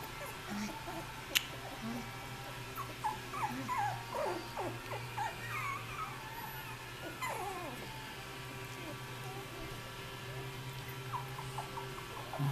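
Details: Australian Terrier puppies aged 3.5 weeks settling for a nap, whining and squealing in many short, overlapping high whimpers that slide up and down, busiest in the middle, then tapering to sparse squeaks over a low steady hum.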